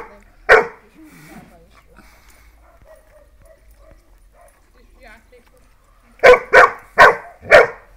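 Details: Dogs, a German Pointer and a Dachshund, bark once, fall quiet amid faint whines and murmuring, then burst into four quick barks near the end.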